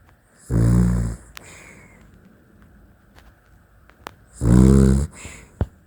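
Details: Sleeping Dachshund snoring in a small room: two loud, low, raspy snores, each lasting under a second, separated by about three and a half seconds of quiet breathing.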